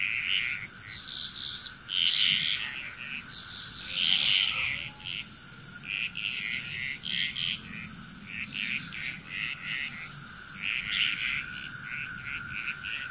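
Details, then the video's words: Chorus of frogs from Bali, Indonesia: clusters of harsh, trilled croaks from multiple frogs, swelling and fading irregularly, set against a constant shrill insect hum. "Frog Chrous"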